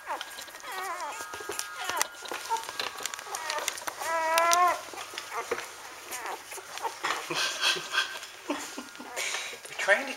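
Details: Standard Poodle puppies four days old from Arreau Standard Poodles, giving wavering high squeals and whines in short bursts near the start and again in the middle, with Portuguese speech and a soft background hiss throughout.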